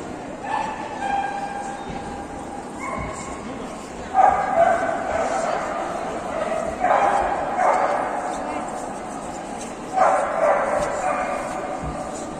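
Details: Golden Retrievers at a single-breed dog show in Yekaterinburg on 19 December 2021, junior males class; short bursts of barking about every three seconds rise above steady indoor crowd chatter and talking.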